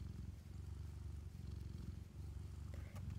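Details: Domestic cat mother purring steadily while nursing her kittens and having her ears scratched; low, continuous rumbling purr with a regular pulsing texture and a few faint clicks near the end.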